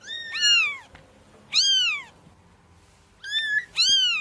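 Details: Kitten mews meant to attract cats: four clear, harmonic meows, each arching up then sliding down, spaced about a second apart with quiet gaps between.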